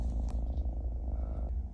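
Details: Low, continuous purring rumble from Bambam, a mischievous house kitten scolded for biting its owner's hand, with a brief rustle near the start and the rumble fading slightly at the end.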